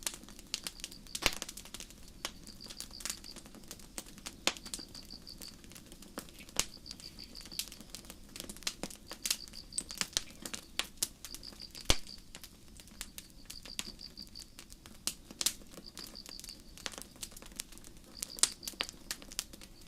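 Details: Night forest crickets under a starry sky give soft, high, rapid chirp bursts repeating at a steady rhythm about every one and a half seconds, while a campfire crackles and snaps loudly throughout.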